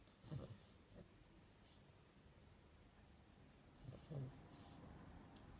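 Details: A Chihuahua snoring while asleep and dreaming: two short, low, snorting snore bursts, one at the start and another about four seconds later, separated by quiet breathing-like rustle in a small indoor room.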